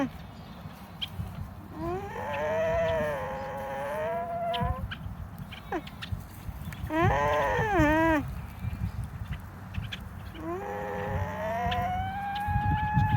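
An alpaca gives drawn-out, nasal, whining calls that rise and waver, with a low rumble of background noise.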